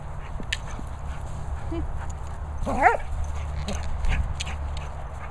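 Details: German Shepherd playing with a boomer ball, giving one short rising and falling whine near the middle, a few faint yips around it, over steady low outdoor rumble.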